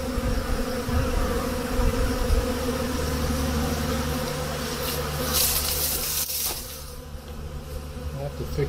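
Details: Honey bees at hives in a hut on a spring day as snow melts and temperatures hit 50 °F: a constant buzzing drone over a rumbling low hum, interrupted midway by a loud rustling, scraping burst.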